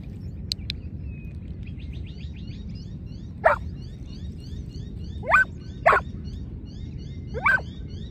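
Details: Giant Schnauzer barking outdoors in lure training, two dogs present; four separate sharp barks spaced irregularly across the second half, with quick bird chirps and ticks early on and a constant low background rumble.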